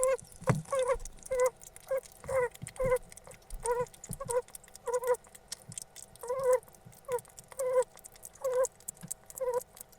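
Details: A pet hedgehog gives short, squeaky chirping notes in irregular bursts, roughly every second, sounds it makes when its food is very tasty.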